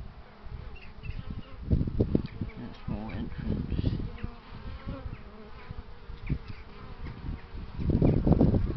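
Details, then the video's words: Honey bees buzzing in a low, droning hum, with bursts of louder rumbling around the second and eighth seconds that sound like wind or handling noise, and faint higher humming tones underneath. "HONEY BEES"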